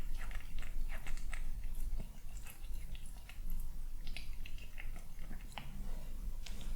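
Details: At home in the morning, a male kitten bites and crunches through breakfast, giving sharp, dense crunchy clicks in quick bursts over a faint low hum.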